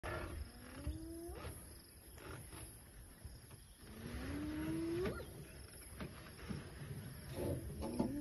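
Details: Hyenas give long rising calling whoops, each sliding upward in pitch, while elephants are being watched, over a low engine-like rumble.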